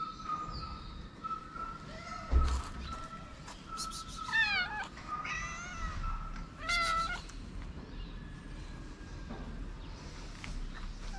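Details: Stray street cat in Morocco approaches a person while meowing and strikes at other cats to keep them away. Several drawn-out, wavering harmonic meows cluster around the middle of the clip over a steady background tone and low outdoor rumble.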